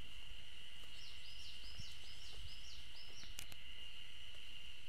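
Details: Ezo spring cicadas singing along the Fine Trail at the Tokyo University of Agriculture Okhotsk Campus on 15 June 2012, heard but unseen: a steady, unbroken high-pitched drone, with a run of short repeated higher notes early on, over faint low wind rumble.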